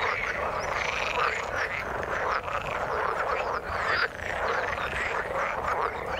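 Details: Frog chorus from the water, many overlapping pulsed croaks forming a continuous buzzing wash, with brief dips in loudness near two and a half and four seconds and occasional sharper upper-pitched notes.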